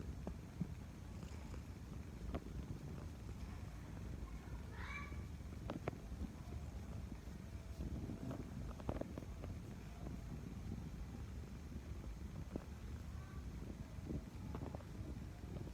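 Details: Cat purring instead of running away, a low continuous rumble with scattered clicks and rustling, plus a brief higher meow-like sound near five seconds.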